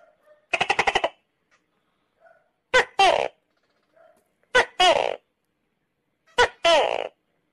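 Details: Tokay gecko (Gekko gecko), call.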